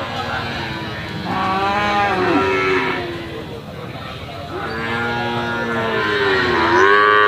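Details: Moos from Brahman and Limousin calves: two drawn-out, tonal calls roughly three seconds apart, the second rising into a higher, louder bleat near the end, over a steady background hum.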